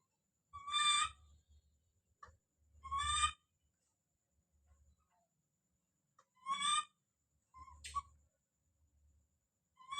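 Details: Don, a baby monkey, screams as he calls out: loud, bright, harmonic squeals spaced irregularly, one thinner whistled note among them, each with a low rumble beneath, and quiet pauses in between.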